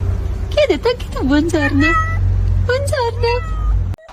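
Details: Kitten meowing and crying: a run of short tonal meows, several sliding downward in pitch, in two bursts separated by a brief pause, over a steady low hum and possible voices.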